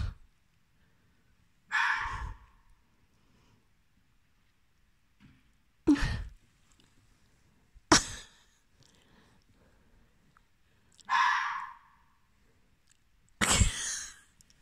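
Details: Fox barking at night in October 2020, wanting to play with a cat: five short, harsh, breathy barks spaced two to three seconds apart, with near-silence between them.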